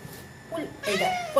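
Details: A domestic cat lying on a staircase gives a short, drawn-out meow with a rising then falling pitch.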